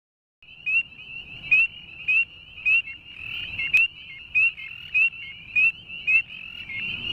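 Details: A male northern spring peeper (Pseudacris crucifer) gives its advertisement call, clear high rising peeps about twice a second, amid a dense chorus of others.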